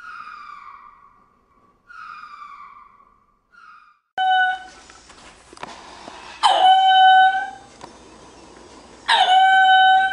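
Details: Ring-tailed lemur calling: first a few tonal, gently falling wails, then louder, harsh harmonic cries in drawn-out bursts near the end, with faint room noise between them.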